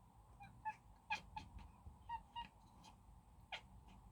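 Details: Tom, a pet cat, chattering at the sight of a bird: short, clipped, harmonic chirps in quick irregular bursts, about a dozen across four seconds, over a steady low indoor hum.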